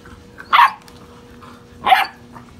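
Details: European Basset Hound puppies, six and a half weeks old, playing wildly; two short, sharp yapping barks about 1.3 seconds apart, with quiet room background between them.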